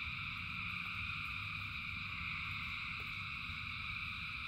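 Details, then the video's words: Massed frog chorus during rain: constant layered trilling pitched high and steady throughout, over a deep patter of rainfall with a single sharp drip near the third second. "Frogs in Rain 2 Hours of Frogs, Thousands of Frogs Singing"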